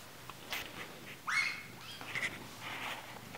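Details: Four-week-old Bengal kitten, sold as a pet to a Missouri family, gives one short mew that rises and then holds steady at about the middle of the recording, over faint background hiss and scattered soft clicks.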